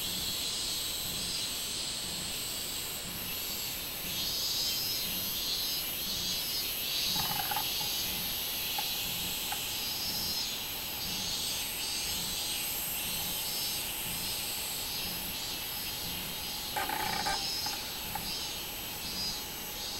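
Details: Chorus of robust cicada (minminzemi) from 24 July 2016: a continuous piercing high whine with rhythmic throbbing, a low steady hum beneath and two brief clicking bursts.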